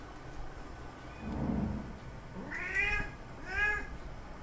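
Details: Male cat calling to a female in heat for mating: a low muffled sound, then two rising-and-falling drawn-out meows about a second apart over steady background hiss.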